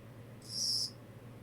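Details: Single brief, high-pitched chirp of a Kogata cricket, about half a second long, rising out of a quiet background with a faint low hum.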